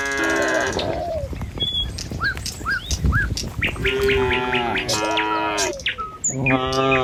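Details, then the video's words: Tame cattle moving along a village road one morning, following the herd out to forage. Short chirping birds fill the first seconds, then several strong, buzzy moos follow in close succession over trampling hooves. "Suara Sapi Moou Sepanjang Jalan Desa"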